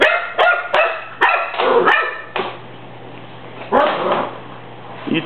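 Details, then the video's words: A Cocker Spaniel puppy barks at a broom during housework, objecting to it. Five quick, sharp barks come in a burst, then a single later bark over a steady low hum and sweeping noise. "doesn't like the broom"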